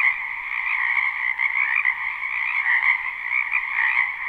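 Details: Spring wetland frogs croaking together, recorded live: a loud, continuous mass of rapid trilling calls layered in two pitch bands, slight swells in volume, nothing else audible.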